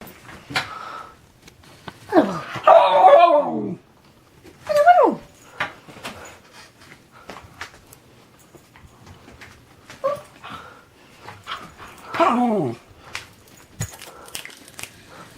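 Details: Pet dog indoors in a small room making goofy vocal sounds: several drawn-out, wavering, harmonic grumbles and whines with bending pitch, separated by short pauses and soft clicks.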